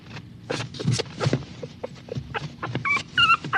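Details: Whimpering small dog, with soft broken whines and breathy sounds that end in several clearer, higher-pitched whines with a wavering, nasal tone.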